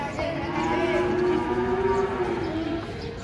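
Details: Cattle being unloaded from a truck, lowing in a steady, drawn-out moo with a buzzy harmonic tone, while several people talk and exclaim close by.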